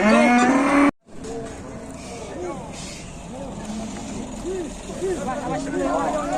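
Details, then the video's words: A cow that will not get up after being unloaded from a truck, helped by dozens of people in Indonesia; a loud drawn-out moo opens, then repeated short low arching moans under steady engine rumble and crowd noise. "SAPINYA KASIAN HARUS DI TOLONG PULUHAN ORANG BIKIN NGGAK TEGA"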